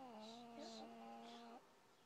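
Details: A sleeping fat female cat snores loudly and strangely: one drawn-out, whistle-like tone that holds a steady pitch for about one and a half seconds before it stops and quiet room noise remains.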